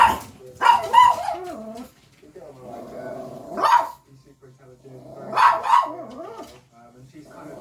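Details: Domestic dog indoors barking at animals shown on TV: short sharp barks in small clusters, sometimes doubled, alternating with continuous talking from the television between outbursts.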